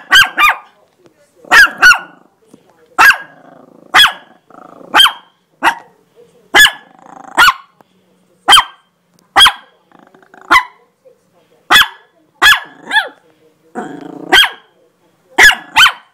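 A Chihuahua gives sharp, high-pitched yaps, repeated roughly once a second.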